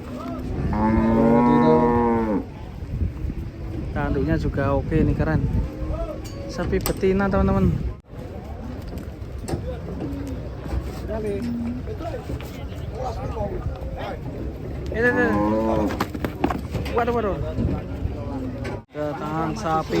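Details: Several cattle unloaded from a truck moo repeatedly: long, wavering bellows separated by clattering hooves and handling noise, with a low background hum throughout.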